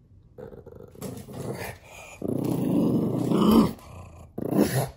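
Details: Bowser, a pet pug, grumbling and talking at puppies on the television: rough, low growly vocalizing that builds into a long, loud rumbling stretch, then a short final grumble.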